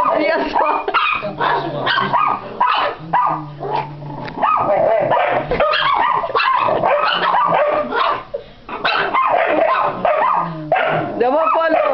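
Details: Pit Bull x Yorkshire Terrier dog yapping persistently in high, sharp barks while a person talks in Portuguese over the noise.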